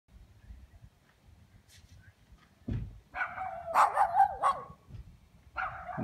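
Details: Several neighbourhood dogs, kept chained at a dog house, bark in a short burst of harsh, mid-pitched yaps from about the third second, a rapid cluster then a pause and another bark at the end over low rumbling background.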